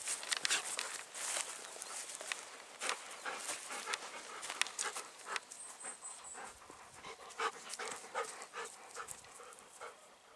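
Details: Golden Retriever on an evening walk through rural satoyama rice paddies in spring, with white flowers in bloom; breathy, broadband panting in rapid irregular bursts with scattered sharp clicks and rustles, wind-like hiss throughout.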